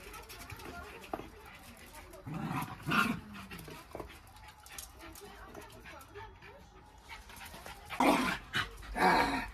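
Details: Two Jack Russell Terriers, close friends, wrestling in a friendly play fight. Short rough growl-like bursts come around 2.5–3 seconds and again near the end, between quieter scuffling, with a person speaking faintly.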